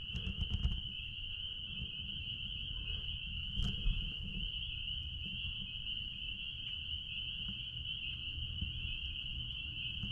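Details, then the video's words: Chorus of spring peepers behind a blueberry farm, many voices merging into one continuous high-pitched shrill ring that never pauses, over a low rumble, with a few sharp knocks near the start and middle. "Peepers sounds out back at Blueberry farm"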